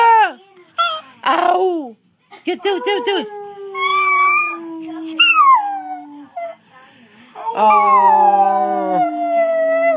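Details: Pet Chinese Crested dog singing to its owners indoors: long, wavering, tonal howls that slide slowly downward, rising again in strained yelps, interleaved with an owner's encouraging, praising speech.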